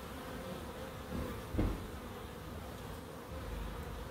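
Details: Bees humming in a small wildlife garden in Crookes; a low droning buzz runs throughout, with one brief knock near the middle and a quieter stretch before the buzz swells again.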